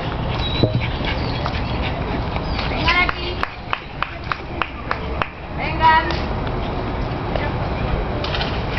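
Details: Seven-month-old Boxer named Janice playing in a park, giving a short run of sharp barks and yelps in the middle, with people talking and calling her name around it.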